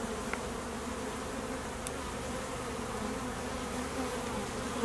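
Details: Honey bee swarm of activity at an apiary in summer honey flow, foragers and mating-flight drones out at midday; a thick, unbroken buzzing hum with a closer bee buzzing loudly at the end.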